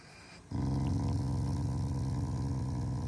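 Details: Affectionate Shiba Inu, a loving family dog, growls during its morning routine without anger: a sudden onset into a continuous deep throaty rumble held to the end.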